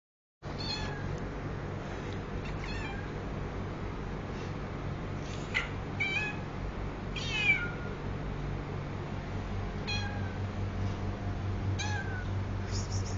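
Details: Two pet cats in a brief fight: scattered short, harmonic, wavering meows and yowls, some sliding downward, recurring every second or two, against a steady low indoor hum.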